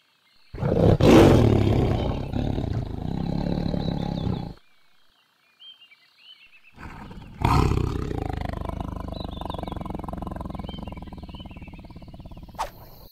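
A tiger gives two deep, rumbling roars, each rough and sustained, separated by a brief pause.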